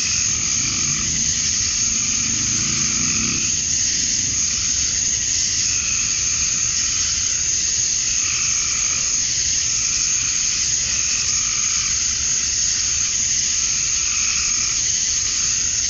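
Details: Male cicadas chirping to attract females at dusk on a summer night in Georgia, USA: a steady, hissing high buzz with no breaks, overlaid by softer pulsing tones that swell and fade every second or two. A low rumble sits beneath.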